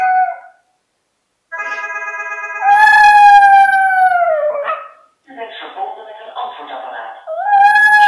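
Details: A small domestic dog, which reacts whenever someone calls the phone, gives sustained tonal howls that hold steady then slide downward, with a brief rougher, noisier burst between howls.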